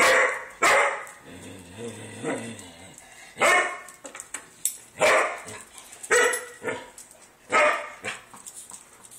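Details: Poodle named Girl barking at a cat that came inside uninvited; sharp loud barks in bursts of two or three, with a short whining growl between, repeated through the stretch indoors.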